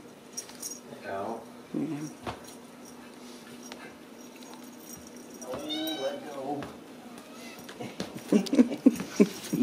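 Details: Ragdoll kittens raised in a home cattery in central Kansas, kept without cages; a short falling meow, then a longer harmonic meow some five seconds later, with a person talking softly and household noises throughout.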